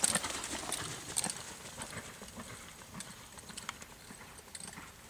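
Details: Reining Quarter Horse gelding, born 2007, sired by Boomernic out of a Freckles Playboy daughter, moving with a quick, uneven clip-clop of sharp hoof strikes that fade gradually over five seconds.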